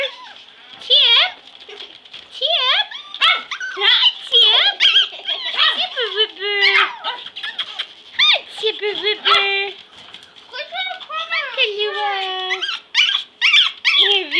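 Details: Five Pomeranian puppies playing indoors on the floor: a busy tangle of overlapping high-pitched yips, squeals and short whiny barks, many rising then falling, coming in rapid bursts with brief pauses.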